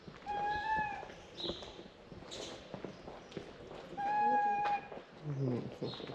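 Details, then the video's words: Stray tabby cat calling to people after seeing its frightened stray companion; two drawn-out, level meows about four seconds apart, with soft rustling and faint voices between them. "The tabby cat started calling to us after seeing his stray friend frightened."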